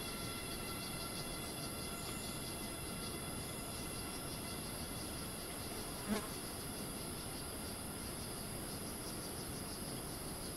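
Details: Cicadas screeching in Thai rainforest at Ton Pariwat wildlife sanctuary near Phang-Nga: a high, finely pulsing whine with a rapid rhythmic throb, layered over steady lower tones, one short sharp knock partway through, low ambient rumble.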